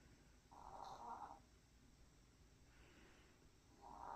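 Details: Maltese dog snoring while tired after a walk: soft, breathy rasping snores roughly every three seconds, a strong one, a fainter one, then another beginning, over a low steady background hiss.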